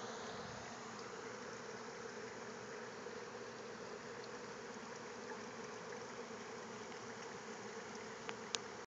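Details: Bees gathered around a communal feeder, resting and cleaning themselves on nearby potted citrus trees; a steady, dense droning hum of many wings runs throughout, with a couple of sharp clicks near the end.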